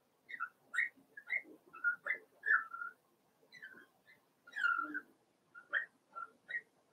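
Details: Litter of four-week-old Cavalier King Charles Spaniel puppies, Daisy's pups in their pen indoors, producing many short, high whistled whines in quick succession, rising and falling, with several pups overlapping.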